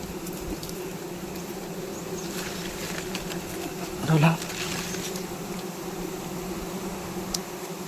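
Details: Honey bees swarming during a wild honey harvest: a steady, low droning hum with layered tones runs throughout, a brief louder burst near the middle, and faint human voices in the background.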